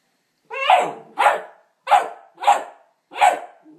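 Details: Indoors, a Neapolitan Mastiff and Pit Bull cross puppy barks at its reflection in a mirror: five short, rough, mid-pitched barks in an uneven run, roughly half a second to a second apart.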